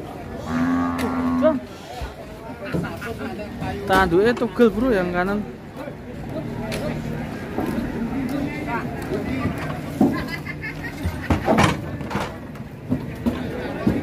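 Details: Sacrificial qurban cow rampaging as it is unloaded from a truck at Pasar Siyono Harjo; a drawn-out low moo opens, then wavering bellows around four to five seconds, amid clatter, knocks and people's voices.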